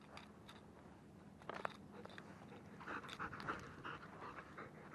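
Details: German Shepherd dog panting in soft, breathy bursts that quicken and grow louder in the second half, with faint chewing or crunching noises and a quiet indoor background.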